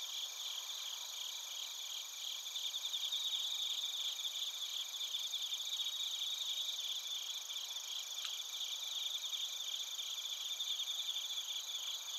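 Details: Suzumushi and other crickets calling in Narita, Chiba, Japan, recorded with a TASCAM Portacapture X8; an even, high-pitched pulsing drone of many insects, with a single brief click midway.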